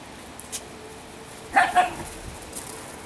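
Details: Italian Greyhound, one of three speedy girls, Shimmer, Sparkle and Speckle, in autumn: one quick double bark, two clipped yelps in rapid succession, amid faint background hiss.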